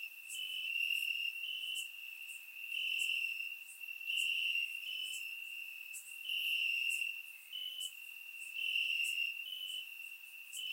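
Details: Chirping crickets hidden in grass on a warm summer night, Bulgaria, surround microphone: a dense sustained high trill, slightly shifting pitch, with regular swells in loudness and faint crisp clicks above.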